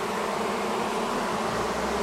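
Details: Honey bee colony long living inside the wall of a house, agitated as dark fell on day one of a March 6th cutout rescue; a dense, steady, low droning hum with layered tones fills the clip without pause.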